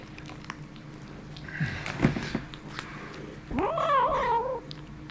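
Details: Kitten holding a bone makes weird sounds: a low, rough growl with some scuffling, then a rising, whiny yowl lasting about a second, in a small quiet room with a steady hum.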